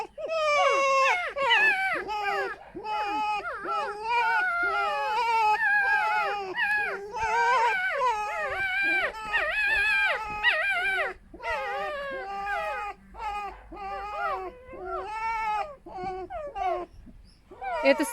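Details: Two den-sharing pet foxes, rescued from a fur farm, continue a harmless indoor song: an almost unbroken stream of quick, quavering squeaks and whines, each dipping and rising in pitch, pausing briefly near the middle.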